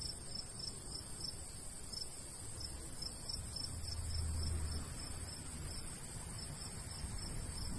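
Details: ['Countryside crickets in summer near golden wheat keep up rapid, high, evenly spaced chirps, about three to four a second, while a light breeze rumbles and swells briefly midway.']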